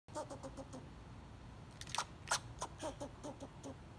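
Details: A squirrel gives a rapid series of short, sharp barks and clicky chirps at a peanut butter cracker.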